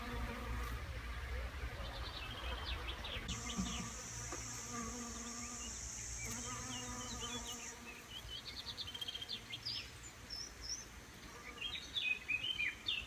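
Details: Local bees around a kitchen garden at Cestayrols in the Tarn, France, helping grow fruit and vegetables: low droning hums that swell and fade as insects pass, with bird chirps, a steady high whine, and low background rumble.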